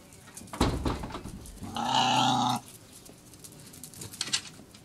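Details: Cairn Terrier puppy, about seven weeks old (born 25 April 2012, recorded 12 June 2012), gives one loud, drawn-out, nasal whining cry lasting nearly a second, preceded by a thump and followed by faint shuffling and squeaks.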